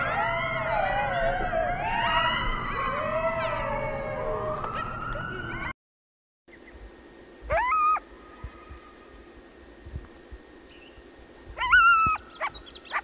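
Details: Coyote group calling in a chaotic chorus of overlapping yips and wavering, sliding howls for about six seconds, then a short silence followed by a few faint, scattered calls over a steady background hum.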